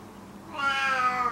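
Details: Old rescued male cat, emaciated and ill with FIV, meowing loudly while kept in a small cage indoors; one long, drawn-out harmonic meow that swells in and holds steady to the end.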